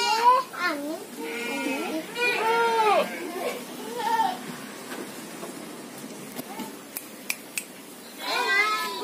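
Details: Goats in a pen on a farm surrounded by rice fields, housed in a former cattle shed; wavering, harmonic bleats come in bursts early on and again near the end, mixed with people talking nearby.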